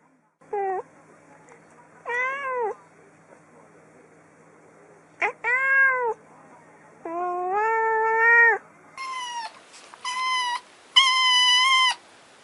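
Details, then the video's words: Domestic cat meowing in a varied series: short falling meows, then longer drawn-out ones, ending in three rapid, loud, high meows close together; quiet indoor setting. "Funny cats and kittens meowing competition"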